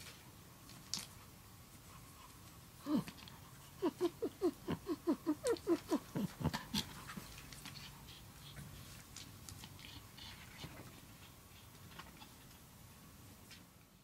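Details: A pet Chihuahua named Cheese reacts to a cat named Ohagi by snorting indoors: one sharp huff, then a quick run of about a dozen short nasal snorts in a steady burst, fading into soft breathing and faint clicks.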